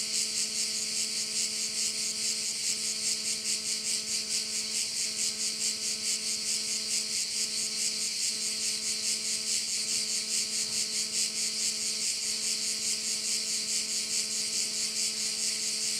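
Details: Massed crickets singing by a bay on Korčula, producing an unbroken high buzzing shimmer with rhythmic pulsing near two beats per second, while a constant low humming drone runs beneath.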